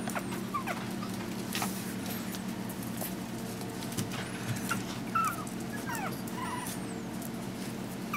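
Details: Chihuahua puppies, five weeks old, give thin, wavering high whimpers and squeaks, some rising and falling, scattered through the clip over a steady low hum and faint background rustling.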